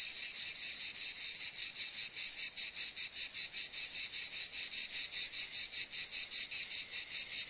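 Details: Cicada buzzing in a bright, rasping drone broken into crisp, even throbs, close to three per second, holding steady throughout.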